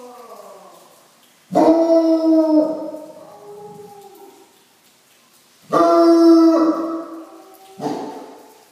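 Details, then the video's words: Bloodhound in Southern California barking at rain, which it has seen only a few times: three deep, drawn-out baying barks, the first two each lasting over a second, with quieter trailing moans between them. "Bloodhound bark"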